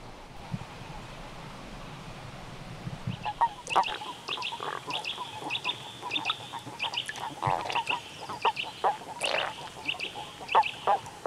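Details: Common toads mating in winter at the edge of a pond in the Limousin countryside, France, on 11 March 2013, give short, soft croaking notes in quick, uneven succession; Common toad.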